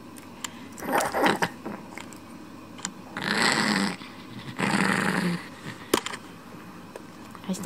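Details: Kuromame, a smooth Chihuahua kept as a shop dog, growls in two low rumbling bursts while stealing a pen cap, with human voices and laughter around.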